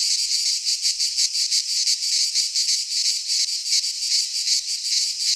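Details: Midsummer cicada chorus in a pine forest in Greece, a harsh unbroken high-pitched buzz pulsing about three times a second, many insects blending into one wall of sound.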